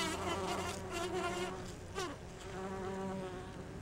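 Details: Bumblebee foraging for pollen on rhododendron blossoms, several similar bees shown, some with differently pitched wingbeats; continuous humming buzz with a brief pitch sweep midway over background noise.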